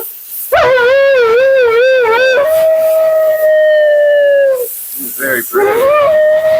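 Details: Vocal Siberian Husky Mila complains during her bath and blowout at the groomer's. A wavering yodel rises into a long, steady, held howl, then shorter rising yowls, over a constant hiss of water or dryer.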